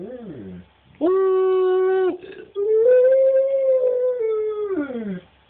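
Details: Pet husky-wolf hybrid singing by howling while its owner urges it on. A short falling whine is followed by a flat sustained howl. After a pause comes a longer howl that rises slightly, holds, then slides downward.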